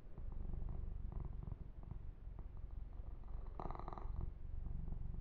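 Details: Domestic kitten Yumak purring softly under massage, a quiet steady low rumble with one short rubbing burst of grooming near the fourth second.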